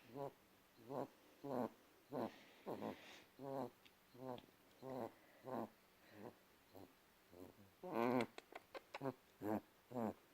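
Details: A pet cat's little noises: a steady run of about fifteen brief, tonal, chirping calls over ten seconds, spaced roughly every half-second to second, with a louder, brighter cluster of quick clicks and calls near the end.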